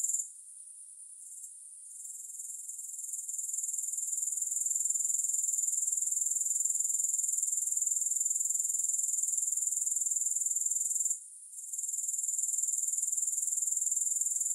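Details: Grasshoppers give a high, dense chirring that starts softly and stutters at first, then grows into a steady pulsing trill. A short pause comes around eleven seconds before the sound resumes.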